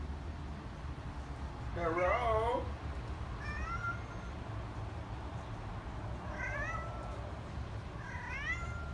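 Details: Chatty Siamese cat indoors, 'saying hello' with a run of short rising-falling meows: a loud wavering meow, then softer chirpy meows spaced a few seconds apart over a low room hum.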